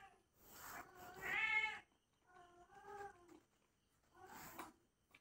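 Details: Kitten playing; three drawn-out, harmonic meows, each lasting about a second, separated by brief pauses, the first loudest and strained, against an otherwise quiet background.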